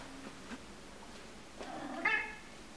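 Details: A Maine Coon cat playing with a cotton swab gives a short, rising meow that ends in a bright, chirpy peak.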